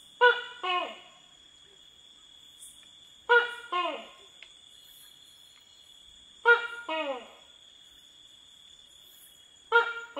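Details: Tokay gecko calling at night in Thailand's rainforest, with explosive 'to-kay' croaks. Four paired notes arrive about every three seconds: a sharp first syllable, then a falling second one. A steady high insect hum runs underneath.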